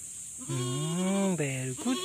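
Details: Farm goat during a birth: a long, low, steady harmonic bleat lasting nearly a second, then a shorter, higher bleat and a brief closing bleat, over a constant background hiss.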